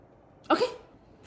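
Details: A 9-month-old Corgi pup gives one short, throaty bark at breakfast, protesting that he would rather play and get treats than eat his food.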